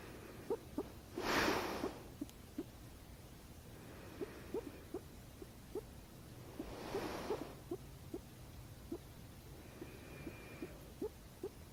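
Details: Domestic guinea pig that purrs each time its owner hiccups: steady short pulses, roughly three per second, run throughout, broken by two loud breathy bursts and a brief thin whine near the end.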